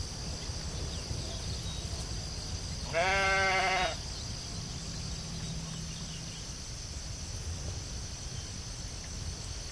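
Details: Sheep in a field with a single quavering bleat near the middle, about a second long with a slightly tremulous pitch, surrounded by low rumbling noise and a faint high hiss.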